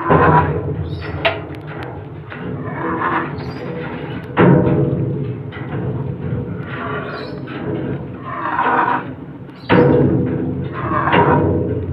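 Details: Percussive music with drum hits plays throughout, and no animal sound is heard.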